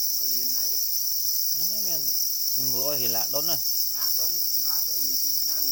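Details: Black cricket, also known as para cricket, calling angrily near its eggs; a sustained shrill high trill persists throughout as someone speaks almost continuously in the foreground.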